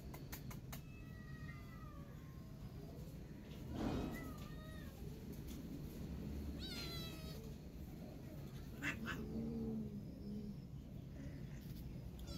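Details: Hungry kitten stuck up high, calling out loudly for food: a series of short, tonal meows, several bending downward in pitch, scattered across the stretch over a steady low rumbling background.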